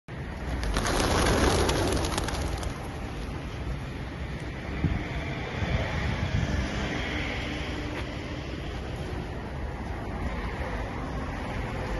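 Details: Steady traffic-like rumble and wind noise with a brief rush of louder sound near the start, no animal voices heard.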